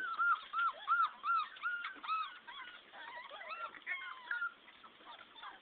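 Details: A litter of 14 English Springer Spaniel puppies whines with high, arched squeaks, many voices overlapping.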